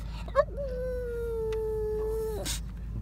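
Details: Labrador Retriever howling or 'singing' in a car: one steady, clear howl of about two seconds with a slight upward bend at the start, over a low engine rumble, with a person speaking encouragement.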